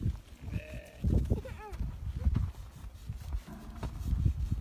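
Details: Meatmaster sheep in South Africa giving a short, steady, nasal bleat, then a second briefer wavering call, over heavy low thuds and trampling noise from the animals moving about.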